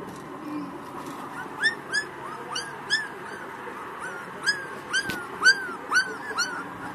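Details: One-month-old Pakistani Bully Kutta pups whimpering: thin, high, arching whines repeated about twice a second over a steady background hum.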